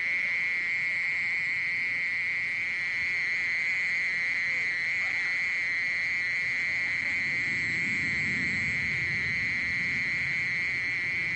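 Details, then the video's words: Mole cricket recording from the National Institute of Biological Resources, 2020: an unbroken, steady high trill holds one even pitch throughout, with faint overtones above it and a soft low rumble underneath. "땅강아지, 여러번 듣기, 곤충소리"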